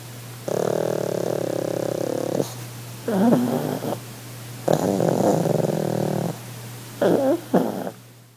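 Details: Relaxing pug on holiday producing over-the-top purring: several rumbling, snore-like bursts of one to two seconds each, separated by pauses, some with wavering, grunting inflections.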